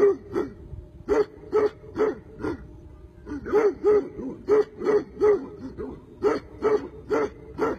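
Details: Tibetan Mastiff barking insistently: about twenty short barks in quick bursts, broken by one brief pause.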